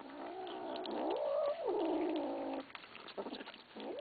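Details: Kittens growling at each other while eating; a steady low, rough growl rising and falling in pitch, swelling into a wavering moan midway, then broken by chewing noises.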